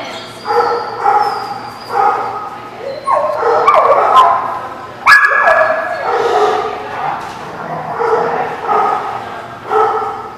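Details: Dogs at a boarding or play lot recorded on 25 September 2017, several dogs barking in overlapping, repeated harmonic barks, with a sharper higher yelp near the middle and a steady low hum underneath.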